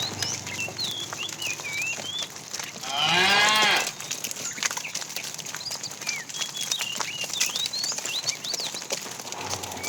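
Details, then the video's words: Afternoon herd of tame cows being driven along; a fat cow calling the female gives a single rising-then-falling moo under a second long, amid steady twittering and whistling of many small birds. "The funny sound of a fat cow calling the female"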